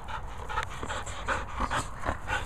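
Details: A Border Collie at dog training pants rapidly: breathy, noisy puffs repeat every quarter to half second over a steady low rumble.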